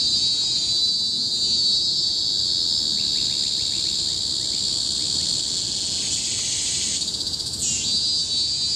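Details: Cicadas in tropical forest on Bukit Timah Hill, Singapore, recorded in 2017: a deafening, continuous high shrill chorus, steady and monotonous, with brief rising sweeps and faint rapid clicks near the end.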